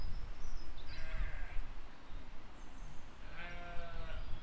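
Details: Sheep and lambs grazing in a field in spring 2020: two wavering, harmonic bleats about two seconds apart, the second longer and fuller, with thin high bird chirps and a low steady rumble of outdoor noise underneath.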